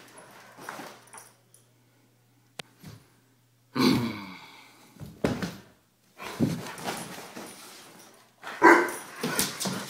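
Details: A one-year-old Weimaraner vocalizing in a small room: scattered bursts of barking and whining after a near-silent start, growing louder with a strong yelp near the end.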